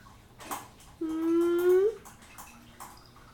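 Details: Pet cats, Hyacinth, Otis and Julius, indoors on a Saturday morning, waiting hungrily for breakfast; one long, steady, low-pitched mew lasting about a second and rising slightly at the end, after a brief tap, in a quiet small room.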